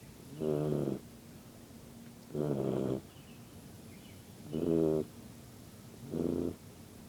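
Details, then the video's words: Yellow Labrador Retriever puppy asleep and snoring: four buzzy, rumbling snores, each about half a second long, spaced roughly two seconds apart in a steady rhythm, with a quiet room between breaths. "Yellow Lab Puppy Snoring"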